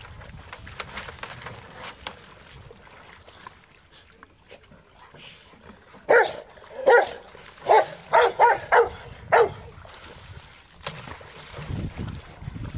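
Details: Rottweilers at play in water; low background noise, then a burst of about six sharp barks between six and ten seconds, followed by quieter rumbling.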